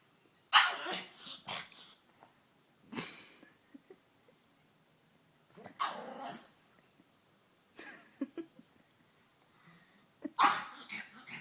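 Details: Indoor female pug, objecting to being laughed at, makes a series of rough, breathy grumbling barks and snorts in bursts every two to three seconds, with quiet gaps between.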